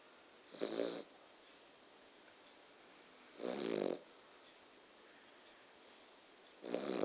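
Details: Loud snoring from a sleeping male dog indoors: three harsh, buzzy breaths of about half a second each, evenly spaced roughly three seconds apart, with quiet stillness between them.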